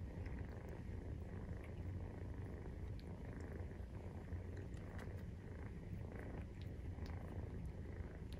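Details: Steady purring of a Maine Coon while nursing, at 43 days after a kitten's birth; low, continuous throbbing drone with scattered soft clicks.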